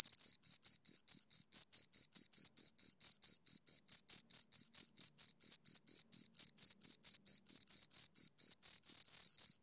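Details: High, ringing cricket chirps from two insects, a fast regular pulse of brief bursts that runs without pause and merges into a longer trill at the end, no other noise.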